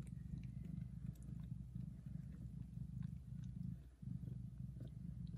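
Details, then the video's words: Loud purring of a mother cat licking and nursing her newborn kittens indoors; a steady low rumble in long cycles with a brief pause near the fourth second, plus faint clicks and licking sounds. "Mom cat purrs very loudly and licks her kittens"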